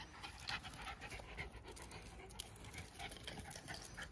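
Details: A pair of Jack Russell Terriers in a friendly wrestling match, heard as quick, soft, breathy panting pulses over steady low background noise.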